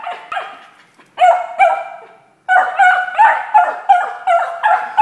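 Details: A Beagle gives rapid, high, ringing, almost yelping barks in quick bursts at a bottle stuck under a couch, trying to get it out.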